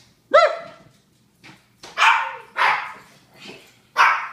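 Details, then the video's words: Japanese Chins: a clear, ringing tonal yelp opens, followed by three loud harsh barks about half a second apart with a quieter yip between. "Barking Japanese Chins"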